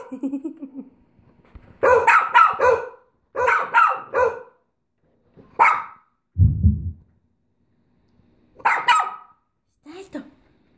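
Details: Bichon Frise dog barking in sharp clustered bursts, two or three barks at a time with gaps between, then a single bark, a brief low rumbling sound, and two more isolated barks near the end.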